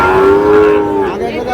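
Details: Sahiwal bull calves at a cattle market where a farmer from Bogura is buying: one long, steady, tonal moo lasting about a second with rich harmonics, fading into a lower tail, brief speech following.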